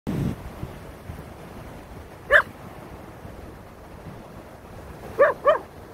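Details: Koda, a Keeshond who dislikes and fears feathers, reacts to a feather with three sharp barks: one single bark, then a quick pair near the end, against a quiet background.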